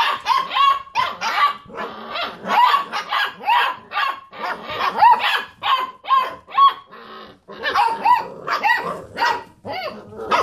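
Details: Basset Hound puppies rooing while playing around a computer chair; steady stream of high-pitched puppy barks and yelps with short wavering howled tones, overlapping voices from several puppies, dense chorus throughout.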